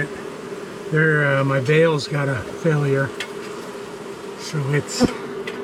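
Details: After nightfall, an angry wall-dwelling honey bee colony is disturbed during a rescue cutout. Loud, pitch-bending buzzes come in several close bursts over a steady background hum, with brief clicks and knocks.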